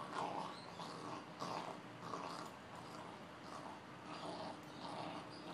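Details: Pair of Boxers at play: a series of soft, breathy growls and grumbles repeats roughly once a second over steady low background noise.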